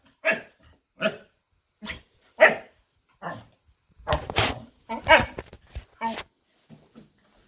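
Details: Dog barking indoors in short, sharp bursts, about ten barks in irregular rhythm, some doubled, with a person's questioning voice nearby.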